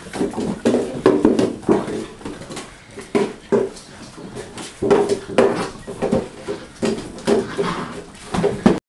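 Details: Litter of German Shorthaired Pointer puppies at 6.5 weeks, from Sophia and Diego, romping indoors; repeated short whiny growls rise and fall every second or so amid thuds, clicks and scuffling.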